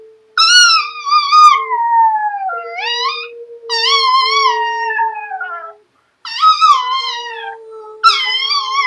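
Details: A Chihuahua, prompted to "cry like a wolf", gives high, drawn-out howls that slide downward over a steady lower tone; its owner jokes it howls like a wolf.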